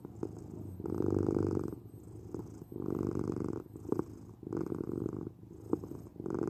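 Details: Domestic cat purr in rhythmic waves, low buzzing rumble rising and falling roughly every two seconds, with soft clicks between breaths, recorded close in a quiet room.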